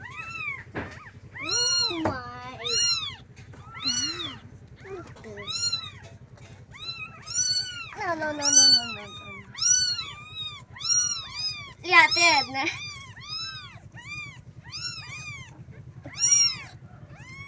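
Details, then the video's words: Several kittens calling their mother for milk, indoors: a dense run of high, arched mews overlapping one another, some rising then falling, repeated about every half second, with a low steady hum underneath. "Suara anak kucing panggil Induknya"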